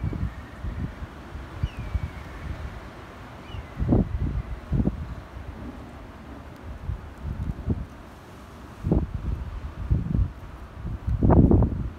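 Low wind rumble and bursts of rustling and handling noise outdoors, with no clear animal voice.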